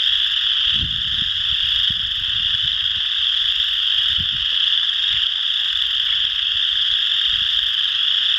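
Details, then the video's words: A steady, unbroken chorus of many chorus frogs at Potato Creek State Park in Indiana, March 12, 2016, recorded on a Canon Powershot SX50; overlapping high trills blend into one constant shimmer, with soft low thumps underneath. "Chorus Frogs Calling"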